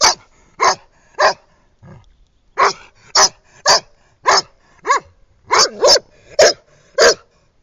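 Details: Scarlett, an Irish red setter, out on a walk by the pool in 2010 and having fun, gives a run of sharp barks at an uneven pace, some doubled, with a brief soft grunt near the start.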